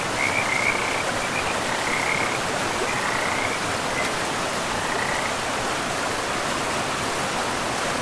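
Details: Frogs in a pristine forest beside a river, giving short trilled calls near two kilohertz, several in the first five seconds, over a steady broadband rush of flowing water.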